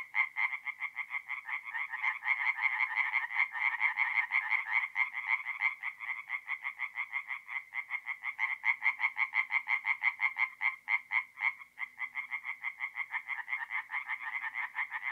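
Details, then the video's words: At a forest pond in north-east Italy on an April night, tree frogs sing in a chorus of quick, regularly repeated croaks, individual pulses clearly separated, volume swelling and fading among callers. "relaxing forest pond by night with singing tree frogs"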